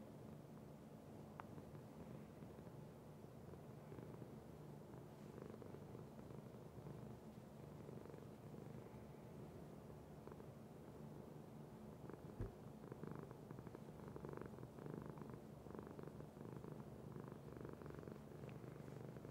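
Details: Sparkie the cat purring: a steady low rumbling purr with rapid pulsing, continuous throughout, faint rustles and a soft click near the middle.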